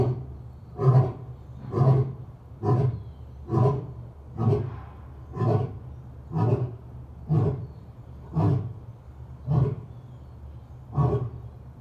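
A lion gives deep, rumbling grunting roars, repeated about once a second in a steady series.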